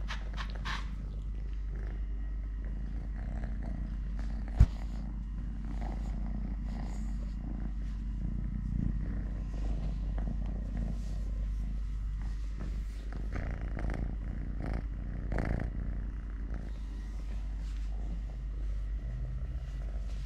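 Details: Totoshka, a pet cat living normally on three legs, purring steadily while eating, playing, walking and fighting with a hand: a long low vibrating rumble with a sharp click early on and occasional rustling handling noise.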